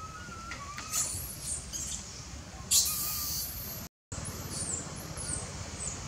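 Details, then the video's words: Teenage monkey crying to its tired mother, insisting on milk: two loud, sharp squealing bursts, then a run of high, thin, arched squeals repeated in quick succession over a steady low background rumble. "Poor mom momkey is so sad that her teenager monkey still crying to insist for milk"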